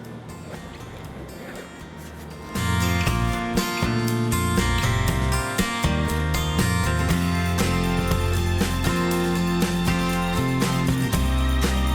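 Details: Park outing in Bangkok, Thailand, with a low murmur of traffic and voices that gives way after about two seconds to loud guitar-led music with a steady beat; no animal calls are heard.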